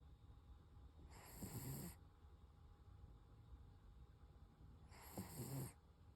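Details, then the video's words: Koro, a Toy Poodle, snoring while asleep: two rasping, breathy snores about four seconds apart, each lasting under a second, with a soft low rumble between them in a quiet room. "トイプードルのコロ いびき"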